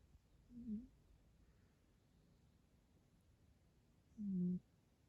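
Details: Sleeping rescue cat Yo-chan with a kinked tail gives two low, buzzing snores indoors, about three and a half seconds apart, each a short rasping drone in an otherwise quiet room.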